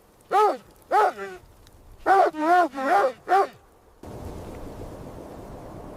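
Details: In snowy winter surroundings, a mother dog and her puppies at play give a series of five tonal barks at an uneven pace, some pairs close together. A steady hiss of background noise follows.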